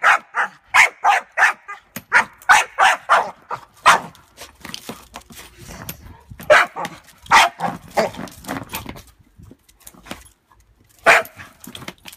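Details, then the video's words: Bongo, a staffy cross rottie bitch, reacts angrily to a stepdaughter's suitcase and its moving handle, giving volleys of sharp barks that thin into spaced single barks, with quieter gaps and faint talking. "Dog barks at suitcase!"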